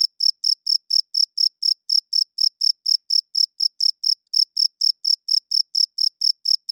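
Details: Loud cricket chirping at night, a rhythmic train of piercing high pulses about four per second, with one short pause midway; no other sounds.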